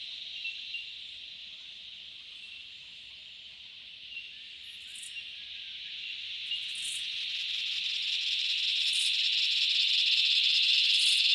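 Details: Cicadas calling in the Australian bush in summer: a steady, high, hissing drone that swells gradually louder across the clip, with faint brief pulses above it.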